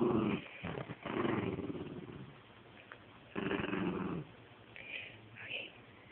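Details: Penny, a pet dog, growls indoors while playing tug of war with a stuffed toy: low rumbling bursts, the longest near a second, separated by short pauses, then faint higher squeaks near the end.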